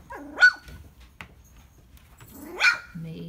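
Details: Standard Poodle puppy on its first day of barking: two short, high yelping barks about two seconds apart, each sweeping sharply upward in pitch, with quiet Spanish speech in between.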